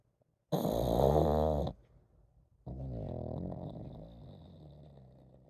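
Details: Komame the pug keeps snoring while sleeping: a long, loud, grating snore lasting over a second, a brief pause, then a softer, steady wheezing exhale trailing off.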